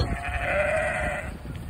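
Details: Sheep in Vermont, met during deliveries, following a person on foot and calling; one drawn-out, wavering harmonic bleat lasting about a second over low rumbling background noise.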